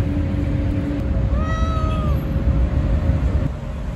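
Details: Stray cat giving a single drawn-out meow, steady then falling slightly, over a loud low rumble of traffic and engine noise outdoors.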